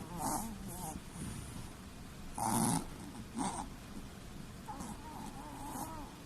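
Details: Chihuahua snoring while sleeping with the whites of its eyes showing: rough rasping breaths in separate bursts, with a louder grating snore near the middle, against a quiet indoor background.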